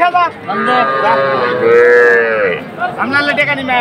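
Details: Young cattle, small bulls and heifer calves, at a livestock market in Manikganj, 30 November; a drawn-out, level moo sounds near the middle between shorter calls, with men talking and market chatter throughout.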